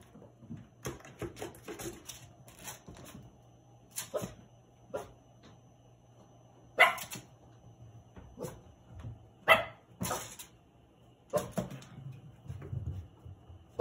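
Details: Cavalier King Charles Spaniel puppies Hamu-chan, Milk and Kahlua indoors, with scattered short yips and barks spaced irregularly, a few louder ones standing out amid softer whimpering sounds and faint low hum.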